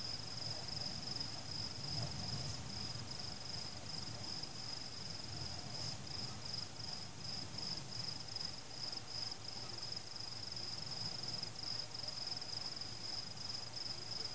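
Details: A cricket trills steadily, a high, thin, pulsing note that never stops, over the low distant rumble of fireworks exploding.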